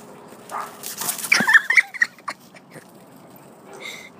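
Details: Two dogs playing together; a burst of sharp, high yips and squeaky whimpers clusters in the middle second, with a person speaking nearby in a quiet room.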